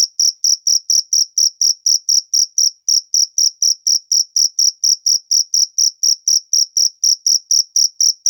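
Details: Natural cricket chirping: a continuous run of bright, high-pitched pulses, about four per second, evenly spaced and unchanging in loudness throughout, with nothing else audible.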